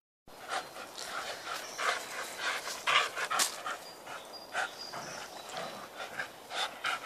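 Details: Border Collies playing outdoors on a rope swing; quick, breathy panting pulses repeat roughly twice a second, uneven in rhythm, with faint rope creaks and a person's voice at the end.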